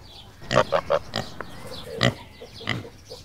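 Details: Grunting of a black mini pig kept on a farm in a village outside the city: a quick cluster of three nasal grunts, then a pause and two more single, louder grunts.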